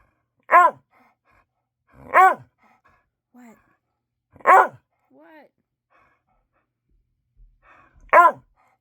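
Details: Pet dog barking indoors at bedtime, wanting attention after being fed and taken out; four loud harmonic barks about two seconds apart with short soft whines between, a person's voice briefly heard.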